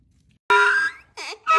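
A donkey brays, with loud, harsh, wailing tones broken by a brief wheezing breath.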